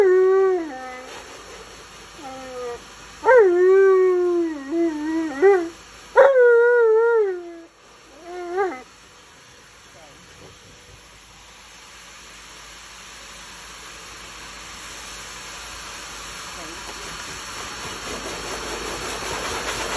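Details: Alaskan Malamute male grumbling at bath time: several quick, bending howl-moans and yowls over the first nine seconds, then he falls silent while a rising hiss, like running water, swells to the end.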